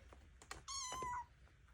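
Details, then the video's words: Ornery foster kitten indoors, a short meow of about half a second, flat then slightly falling, amid clicks, rustles and a faint human voice. "Noisy ornery kitten"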